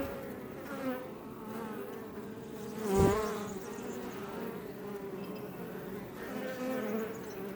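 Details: Iberian honey bees outside a Langstroth hive in south Tarragona, Catalonia: a steady background hum of many bees, with one bee zooming right past around the middle, its buzz swelling sharply then dropping away.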